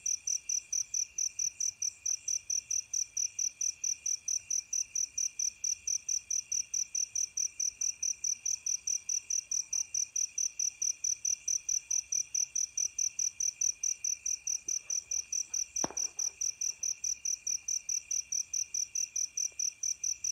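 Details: Crickets at night, described as fighting: steady, high, pulsing chirps repeated about twice per second with even rhythm throughout, plus a faint continuous buzz beneath and one brief click midway.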